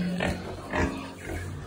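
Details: Wild boar raised in Cà Mau, Vietnam, with a pregnant sow mentioned; short low grunts and snorts in two or three bursts, with a man's voice and faint music in the background.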